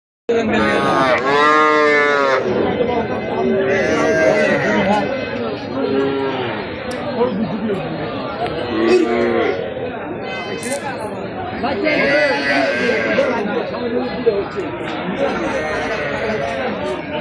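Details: Calf at the Chandramora market in Lalmai, Comilla, Bangladesh. Loud, repeated wavering moos with rich harmonics, several overlapping calls, over steady crowd chatter.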